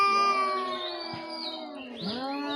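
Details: Domestic cats in Bangladesh-style home setting fighting with outside cats that come to attack the household cats; long drawn, wavering yowl with rich harmonics, pitch dipping and rising again near the end.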